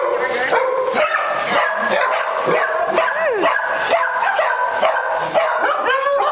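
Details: Many dogs racing around with the zoomies at a Las Vegas, Nevada day care, October 5, 2009. Rapid, irregular barks mixed with high rising and falling whines and yelps, several voices at once, with a human voice in places.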